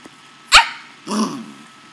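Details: Playful, feisty pet corgi barking indoors while being handled: one sharp, high bark followed half a second later by a rougher, lower bark, with quiet room background between them.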